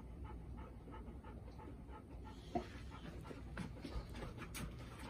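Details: Golden Retriever household with Bis, a tense four-year-old female one day after arriving to live with Ibuki and Kohaku; brisk breathy panting, softening midway, one short thin squeak, then faster huffs resume.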